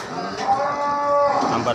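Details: Simmental cows with their 3-4 month old calves: one long, steady, nasal moo lasting about a second amid busy background noise.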